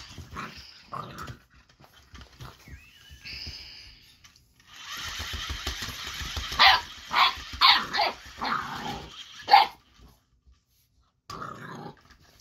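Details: Boxer puppy Baron, eight weeks old, confronts the Ollie interactive robotic toy; after a few soft yips, a steady mechanical whir starts, and over it the pup fires a burst of shrill, rapid barks roughly one per second.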